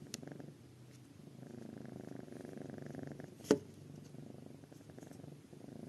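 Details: Kitten snoring and purring indoors, a steady low rumbling purr with rhythmic breathing pulses, quiet overall, broken by one sharp click or tap midway.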